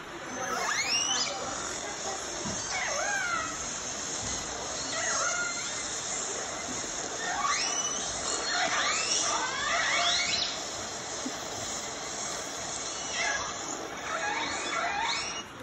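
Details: Recorded calls of clan R, the smallest clan of the fish-eating Northern Resident killer whales, played at a whale museum in Telegraph Cove: squealing calls sweeping up and down in pitch over a steady hiss of water noise.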